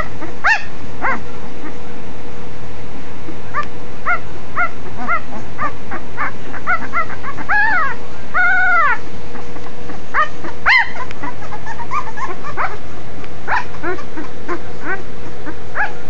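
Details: Litter of Cane Corso puppies, five days old, squeaking with scattered short yelps, then one long drawn-out arching cry midway, followed by more brief chirpy whines.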